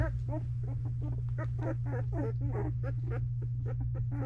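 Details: Belgian Malinois puppies two weeks old, Misty's litter in a whelping box, making a dense run of short squeaky chirps and grunts, rapid and overlapping, with a constant low electrical hum beneath.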